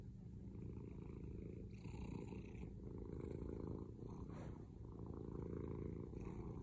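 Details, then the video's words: Domestic male cat purring loudly, a continuous low rumbling throb with a fast pulsing texture and slight swells in strength, steady throughout with no other sounds. "Loudest cat purring"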